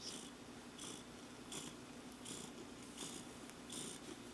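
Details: Relaxed cat named Clarence with happy toes, purring continuously in a low hum broken by soft breath pulses repeating about 80 times a minute, in a quiet room.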